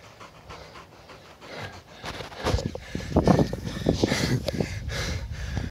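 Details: Shadow, a 4-year-old female three-legged whippet whose back left leg was amputated, panting after racing; rough, rapid breaths that grow louder and denser through the second half, after a brief exclamation.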